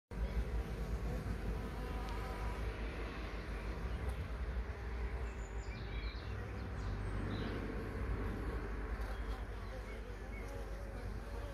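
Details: Bees humming as a dense, steady low drone with layered tones, continuous for the whole stretch, with faint high chirps in the background.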